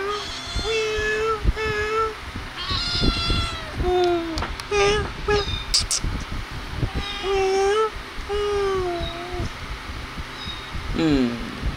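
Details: Playing and feeding kittens meow over and over, a run of short rising and falling cries, some paired, with bright clicks and knocks between them and a last squeaky downward meow near the end.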